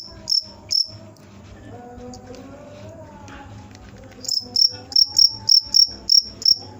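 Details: Cricket giving two high chirps, then a quiet gap with faint tonal background sounds, followed by a steady run of bright pulses about three per second.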